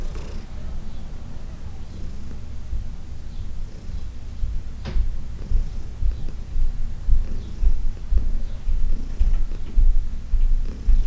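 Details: Low, continuous purring from Heidi, an elderly female cat who spent ten years at the Humane Society of New York City, recorded during a massage session on June 17, 2021. Rhythmic throbbing pulses, a few faint rustles.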